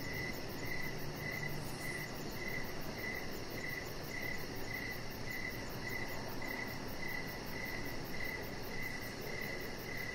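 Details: Outdoor evening chorus of crickets beside a deck, a chihuahua puppy lying there among decoration lights. Clear, regular chirps come about every half second, backed by a thin, very high insect pulsing and a quiet low murmur.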